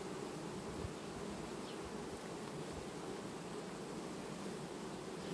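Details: Honey bees in August, a colony undergoing quiet queen replacement; continuous buzzing hum of many bees, steady in loudness, with a few faint thumps low down.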